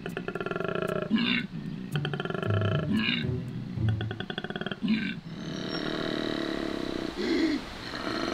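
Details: A male koala at Healesville Sanctuary bellows in spring mating season, calling for a mate with deep, rasping, snoring pulses broken by sharp grunting gasps.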